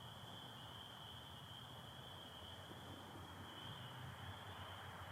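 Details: Michigan spring night chorus of spring peepers with American toads, April 24, 2025, stars and partial overcast; unbroken shrill ringing band of many distant callers holds steady throughout over a soft low background hum.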